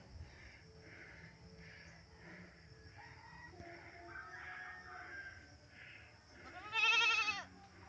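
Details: Goats bleating while waiting to be fed, a loud harmonic bleat standing out near the end after softer repeated calls and a steady high hum in the background.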